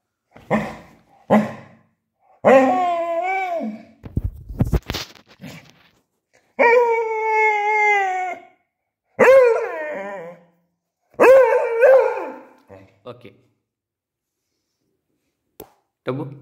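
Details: Tubby, a Beagle, argues with its owner for a calcium bone: short sharp barks, then several wavering howl-whines of one to two seconds each, broken by a brief rustling thump and gaps of quiet.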